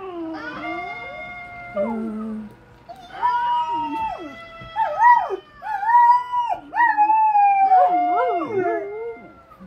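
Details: A female Golden Retriever howls in long, wavering tones that rise and bend, broken by brief yips, while being encouraged.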